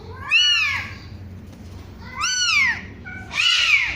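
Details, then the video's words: One-week-old kitten mewing: three high, thin cries, each arching up then falling, spaced about a second apart in a quiet room. "SUARA KUCING USIA 1 MINGGU"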